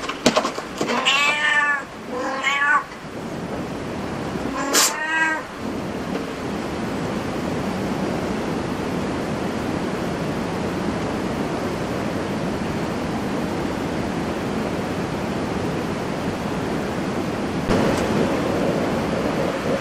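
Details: Cat at a cat cafe giving a quick run of loud, wavering meows in the opening seconds, then one more sharp meow, followed by a long stretch of steady background hiss and room hum.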